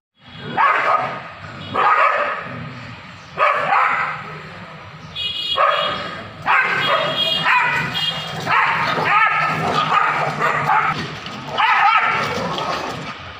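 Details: Fighting street dogs in Kolkata, 2023, trade rough barks and snarls. Loud clusters break out at roughly 1.5-second intervals before merging into an unbroken stretch of snarling and yapping. Low street rumble fills the background throughout.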